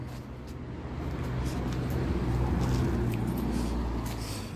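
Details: Steady low traffic rumble from passing road vehicles swells and fades over a few seconds, with no animal voice audible.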